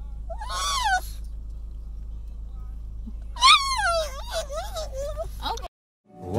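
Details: Jagr, a pug, crying because he wants to play in the snow; a high wavering whine, then a longer quavering cry that slides down and wobbles over about two seconds, with faint background hum.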